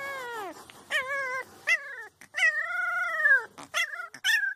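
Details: Puppies give short falling howls and yips, then a longer arched howl that rises and sinks, ending with quick high yelps.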